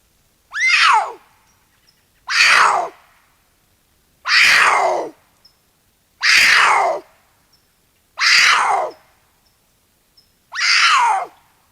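Cougar screams, six harsh, piercing cries, each about half a second and falling in pitch, repeated roughly every two seconds with silence between.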